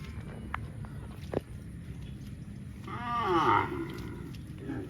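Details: Cows running in the fields, one giving a loud, drawn-out moo with a rising-then-falling harmonic tone lasting under a second, after scattered clicks and thuds over steady low rumbling outdoor noise.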